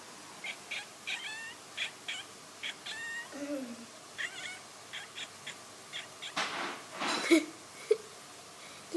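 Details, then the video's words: Domestic cat making weird sounds: a steady string of short, clipped chirps, roughly one every half second, with a soft voice briefly heard and a couple of rustling bumps near the end. "some weird cat sounds"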